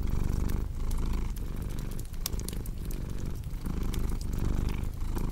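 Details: A cat's deep, continuous purr pulsing in rhythmic waves about every half second, with sharp fireplace crackles and pops scattered over the top.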